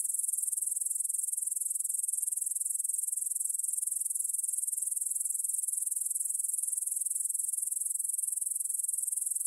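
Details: ['High, buzzy insect trill from grasshoppers in a field near the Svensky monastery, Bryansk, Russia, on the evening of 6 September 2020 at 9pm, Tascam DR-44WL stereo; dense rapid pulsing holds steady across the whole stretch.']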